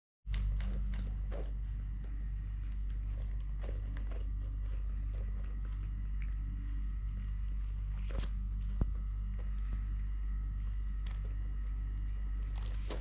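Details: Totoshka, a three-legged pet cat, purring indoors during eating, playing and walking; a steady low rumbling purr runs throughout, overlaid with sharp clicks of chewing and footsteps in a small room.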